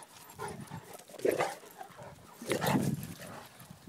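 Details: Zeus, a grey 17-month-old Cane Corso, and Maximus, an 8-month-old salt-and-pepper miniature schnauzer, chase each other in play; two louder rough vocal bursts, one near the middle and one after it, rise above background rustling and movement.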